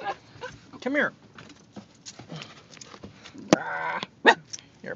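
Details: A male Basenji on a car ride gives a drawn-out, wavering yodel-like cry as the car stops, urgently asking for a potty break outside, while a person talks.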